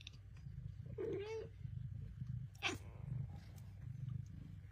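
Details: Bengal cats, a talkative mother cat and her talkative kittens, calling to each other. One drawn-out, wavering meow near the one-second mark, then a brief sharp squeak shortly after, over a steady low hum.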